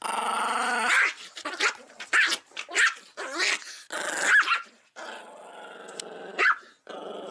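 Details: Angry pet Chihuahua, enraged by the camera and whirling fast, gives a harsh growl that breaks into a series of sharp snarling barks and yaps, bursts roughly every half second, with brief quiet gaps and a lower rumbling growl between.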